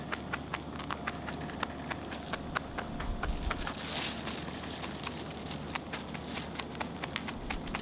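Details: A Netherlands Dwarf rabbit keeps eating its food, chewing with rapid, irregular crisp crunching clicks over a low steady hum.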